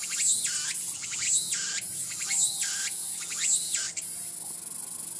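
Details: Song of the tsukutsuku-boshi cicada (Meimuna opalifera): loud swept phrases repeated roughly once a second, with pulsed notes between them and a constant high-pitched drone behind.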